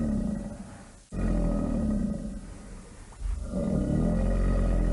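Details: Alligator producing heavy, low, gravelly roars that swell and fade in roughly two-second surges, with a steady deep rumble throughout.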